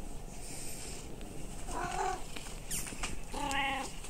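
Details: Domestic cat in a household of three cats (tabby, Munchkin, Abyssinian), recorded 29 February 2024 around feeding time: two short harmonic meows, the second longer and steadier, over a hissy indoor background with a soft human voice and clicks.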